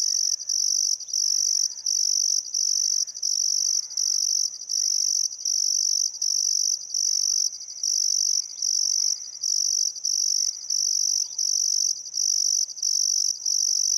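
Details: Crickets by the Barcoo River, Welford National Park, Outback Queensland, at sunset on a still summer afternoon: very high, even trilling pulsed in bursts about every second, accompanied by quiet intermittent birdcalls.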